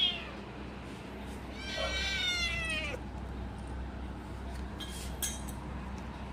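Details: A little pet cat making noises while eating its food and protecting it. It gives a brief squeak at the start, then one long wavering whine lasting over a second. A few clinks follow over a steady low hum.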